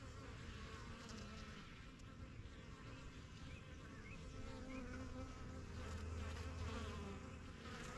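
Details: Many honey bees around a new backyard hive, its strongest colony, getting used to the area. A thick continuous buzz swells slightly louder toward the end, with a few soft higher flickers above the drone.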